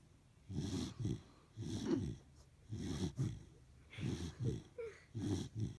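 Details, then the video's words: Phoebe, a Corgi, snores in deep, rattling breaths, each rumble swelling then breaking into a short double pulse, about one per second, with brief silent gaps. "Phoebe the Snoring Corgi"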